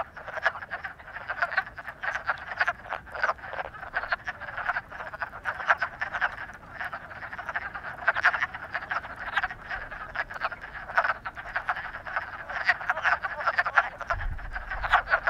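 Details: Frogs in love in full chorus, many rapid rasping croaks packed tightly and overlapping for the whole stretch, steady in loudness, with a faint low rumble near the end.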